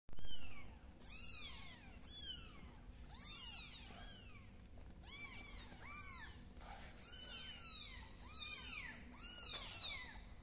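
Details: Kitten named MiMi's crawling on the floor indoors, calling with a rapid series of high, arched meows, some overlapping, rising then falling in pitch, with steady low hum underneath.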